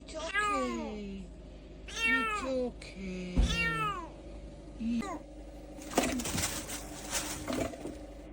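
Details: Tiny abandoned kittens dumped in trash, crying. Three thin, high, drawn-out meows fall in pitch in the first four seconds, then a faint short mew. Rustling and clattering noises follow over a steady background hum.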